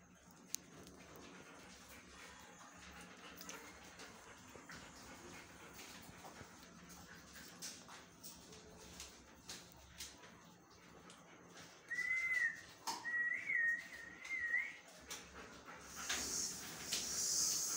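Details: Newborn Siberian husky puppies from a litter of seven, three male and four female: thin high wavering whimpers around twelve to fifteen seconds, amid faint rustling and clicks, with a louder squeal at the end.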